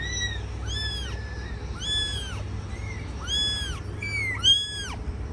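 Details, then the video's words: Domestic mother cat caring for her young kittens: repeated high, arched mewing calls from kittens, each about half a second long with rich overtones, some overlapping, coming several times per second in bursts, over a steady low hum. "Cat caring her babies"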